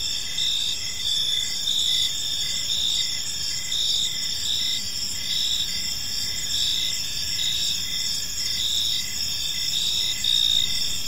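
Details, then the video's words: Crickets fill a calm evening park with a constant shrill chorus of rapid, regularly repeated chirps, steady in loudness, with a gentle low ambient murmur underneath. "Cricket Sounds in a Peaceful Park"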